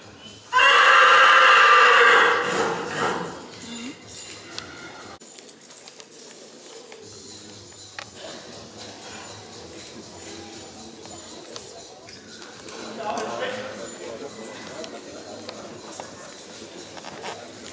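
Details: At the 2014 Sankt Märgen stallion licensing, with stallions shown in hand and running free, a Black Forest Coldblood horse gives a loud, shrill neigh lasting about two and a half seconds. Quiet hall ambience, hoof clatter and distant voices follow.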